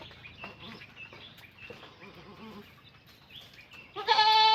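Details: Goat giving birth on a farm; a loud, strongly harmonic bleat bursts out near the end after quieter scattered chirps and rustling, with people talking in the background.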